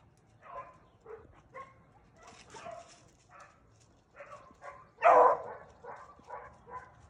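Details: Beagle hounds running rabbits in the field, possibly split into two separate races on different rabbits; a string of short, distant barks and bays at irregular intervals, with one louder, nearer bark about two-thirds through.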